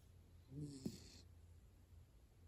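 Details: Hana the miniature dachshund sleeps soundly. One short, soft nasal snore has a low hum and a sudden small snort-like click. Faint room hiss continues afterward.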